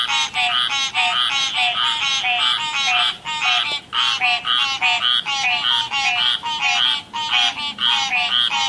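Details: Chorus of real frogs by a river: loud, nasal, rattling croaks repeated rapidly by several overlapping callers, occasional short pauses breaking the steady rhythm.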